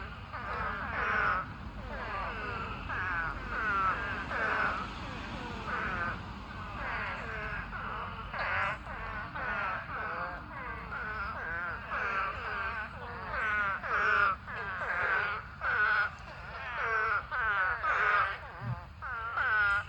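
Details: A pond packed with thousands of spadefoot toads gathered to mate. Dense, overlapping chorus of short, nasal, wavering bleats repeated without pause for twenty seconds, with loud and soft callers layered together.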